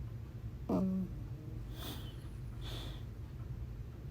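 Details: Uni, a pug puppy that recently joined the household, asleep and snoring: a short nasal squeak with a clear tone, then two soft, breathy snuffling breaths about a second apart over a steady low indoor hum.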